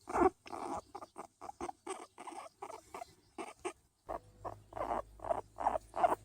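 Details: Hairless skinny guinea pig enjoying being patted, giving rapid, loud, buzzy chirping notes in quick irregular bursts, several per second, with a brief pause midway.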